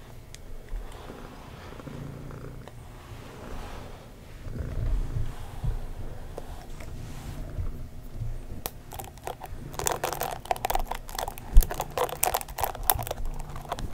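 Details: Female pet cat purring indoors while being brushed: a soft, low, continuous throbbing purr for the first half, then dense scratchy bristle strokes and handling noises dominate over the quieter purr.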